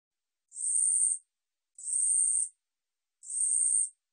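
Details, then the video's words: Song of a 우리여치 katydid from the National Institute of Biological Resources, 2020: harsh, hissing buzzes of about three quarters of a second each, three in a row at a steady rhythm, with nothing else audible. "우리여치, 여러번 듣기, 곤충소리"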